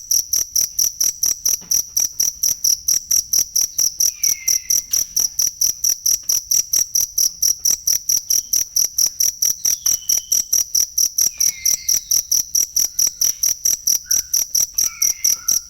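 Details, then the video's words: Cricket chirping for songbird training: a long run of crisp, shrill pulses repeated steadily a few times each second, joined by occasional faint short whistles and chirps in the distance. "ASLI SUARA JANGKRIK BUAT MASTERAN BURUNG"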